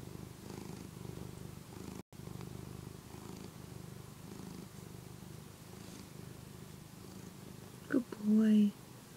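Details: Phillip, a one-year-old pet cat, purring while nursing on the soft fabric of a housecoat indoors; a steady low rumbling purr runs throughout, broken by a brief gap near two seconds, and a short louder voice-like sound comes at the very end.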